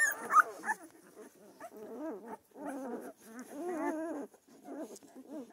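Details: Several Central Asian Shepherd puppies in Michigan give wavering, tonal whines and squeals in quick overlapping bursts, with a sharper yelp near the start and short pauses between rounds.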